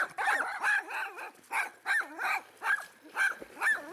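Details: Cosi, a pet dog, barking excitedly beside a private pool, upset when someone splashes, swims or goes under the water: a rapid run of high, yelping barks, roughly two or three a second, slightly uneven in spacing.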